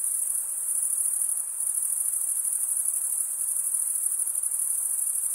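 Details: A bright, thin cricket trill, rapidly pulsed and steady in pitch, carries on without a break; loudness dips very slightly once, with no other sound present.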